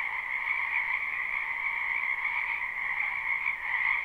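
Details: Spring wetland frogs calling together in a live, unlooped recording: a continuous shimmering wall of high-pitched trills that holds steady, swelling slightly near the end, with nothing else audible.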